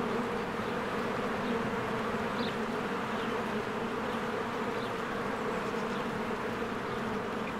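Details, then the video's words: A spring beehive busy with working honeybees flying in and out: an unbroken, even drone of countless wings, strongest in the low-mid range, with a few short faint high notes, likely birds, scattered through. "1 Hour of a Beehive ASMR"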